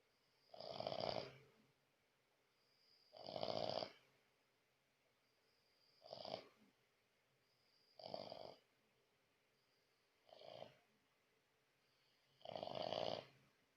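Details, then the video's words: French Bulldog named Lakshmi snoring loudly while asleep at night indoors; six broad rasping snores, each about half a second to a second long, spaced roughly every two seconds with quiet gaps between. "Французский бульдог храпит как мужик"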